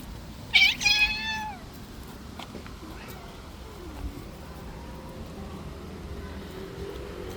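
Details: A street cat, playing too roughly, gives one loud, strained meow with a bright harmonic stack that bends downward over about a second. Faint background hiss and soft distant sounds follow.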